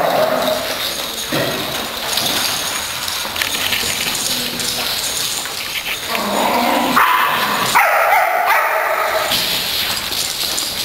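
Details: Pet dogs excited to play, giving short yips, whimpers and barks in quick bursts at irregular intervals, with noisy household background and broadband rustling.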